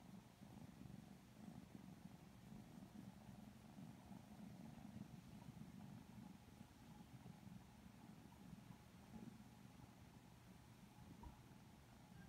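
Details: Lilac Modern Lynx Balinese kittens purr while petted and cuddled, a long, constant low rumble, gently throbbing, with soft background hum and handling sounds.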